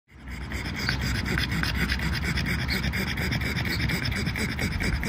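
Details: Pangpang the Pug resting and taking a break on a warm summer day in London, panting fast and steadily, roughly two breaths a second, with a broad rough hiss across the whole clip.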